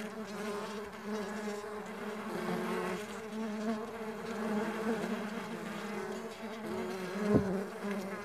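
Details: Stingless bees at a bee farm: a dense, steady drone of several overlapping buzzing insects with layered low tones, swelling slightly midway, plus a sharp close pass or tap near the seventh second.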